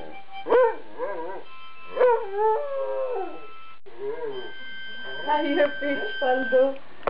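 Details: Afghan Hound, two years old, singing along to harmonica playing: short wavering howls rising and falling, mixed with steady sustained harmonica tones.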